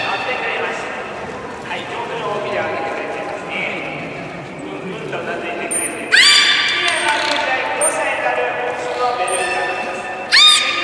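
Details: At Port of Nagoya Public Aquarium's 16:30 public beluga training, 24 March 2018, a captive beluga gives two abrupt, bright, neigh-like harmonic squeals, at about six and ten seconds, between short piercing trainer whistles, with announcer speech throughout.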